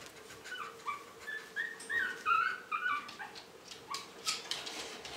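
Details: Several 4.5-week-old Shih Tzu puppies from one litter whining in a series of thin, wavering high whimpers, strongest in the middle, over a quiet indoor hum.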